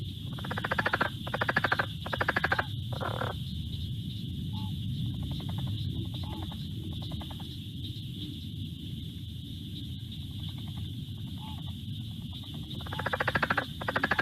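A southern leopard frog gives rapid, clucking chuckles in short bursts over a steady high hum and room noise.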